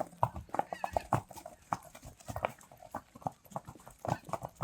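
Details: Friesian horses going back out to pasture: loud irregular hoof thuds, several per second, with a faint speaking voice in the background.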